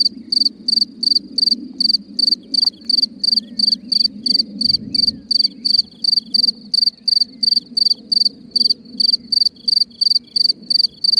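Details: Cricket singing at night from a hole in the ground, giving steady loud chirps about three per second, each a short pulsed burst, with a faint low rumble beneath.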